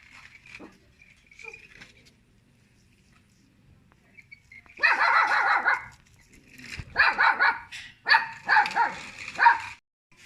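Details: Small pet dog barking at people: after quiet faint sounds, a loud burst of sharp barks begins near five seconds, followed by several more short harsh barks in quick clusters toward the end.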